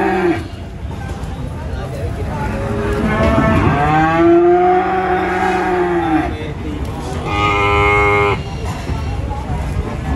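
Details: Cattle nicknamed 'kacang goreng' being taken to the Prambanan animal market give a long, low, drawn-out moo lasting about two seconds. Its pitch bends down and then back up. A shorter, flat, steady tone follows amid crowd noise.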